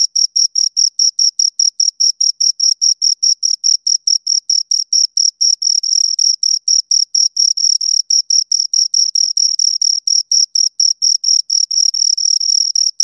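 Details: Continuous high-pitched chirping by two crickets, fast repeated pulses about four to five each second, sometimes merging into a brief unbroken trill, with nothing else audible.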